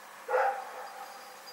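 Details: Rex, a dog, lets out one short bark at night on February 27, 2018, a rough burst that trails off into a faint echo over a steady low hiss.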